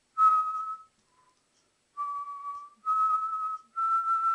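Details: Alaskan Malamute puppy, two months old, howling during play: four sustained pure-toned notes, the first alone, then three in quick succession that step slightly higher each time, over light scuffling noise.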